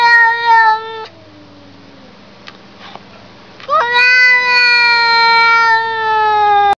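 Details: Two drawn-out cat meows. A steady first cry lasts about a second. After a quiet gap comes a louder, longer one that swoops up at the start, then holds a bright, slowly falling tone for nearly three seconds.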